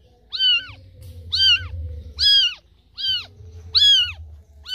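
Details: Kitten left behind by its mother, crying loudly as if calling for her: five high, arched meows about a second apart, each a clear falling wail, with a faint low hum underneath.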